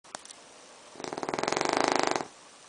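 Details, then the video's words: Brachycephalic dog with brachycephalic airway syndrome (BOAS) snoring at night in a bedroom, filmed by torchlight; one loud, harsh, rattling snore of rapid pulses lasting just over a second, between quiet breaths. "Loudest Snoring Dog"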